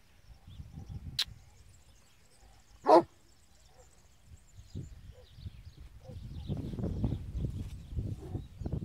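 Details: A traditional transhumance Spanish Mastiff gives a single loud, abrupt bark amid quiet outdoor background.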